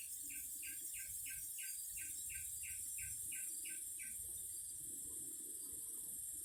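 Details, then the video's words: Singing cicadas: a steady, shrill, high-pitched buzz runs throughout, with a series of short repeated chirps about three per second over the first four seconds and a low background rumble. "Singing cicadas."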